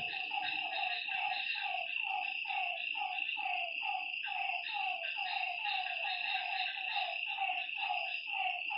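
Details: Repeated croaking notes from many frogs fill a lakeside night, overlapping steadily over a bright, unbroken high buzz with little else heard.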